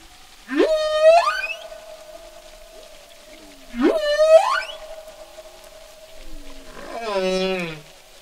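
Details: One humpback whale singing: two long moaning units that sweep sharply upward and then hold a steady, strongly harmonic tone, about three seconds apart, followed by a lower, buzzy, descending unit near the end, over quiet water.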